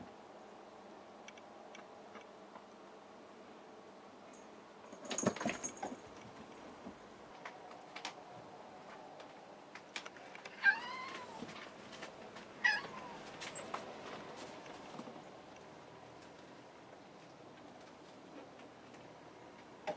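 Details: Kuri, a house cat left on the floor after jumping at a closed tempukuro door while Ameta, Kinako and Hanu leap up, calls from below: two short, rising-falling harmonic meows a couple of seconds apart, after a sliding-door bump.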